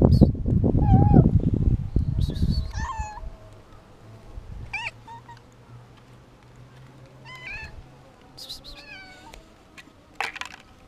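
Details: Domestic cat, afraid and hungry, meowing repeatedly: several short harmonic meows near 2.5 to 3 seconds and again around 7 to 9 seconds, each wavering and slightly falling, after a burst of loud low rustling handling noise at the start.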